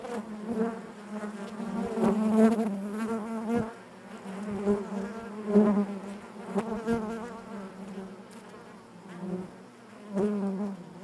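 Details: Honey bee colony humming in the hive, a rich, layered drone that rises and falls in waves every few seconds, with occasional crisp ticks and taps.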